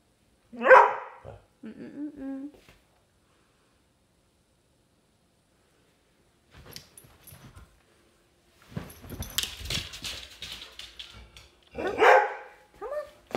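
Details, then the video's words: Dog at play in a house lets out a loud single bark and a short growly follow-up, then a long quiet stretch with scuffling and rustling before another strong bark near the end. "play with my dog in the house"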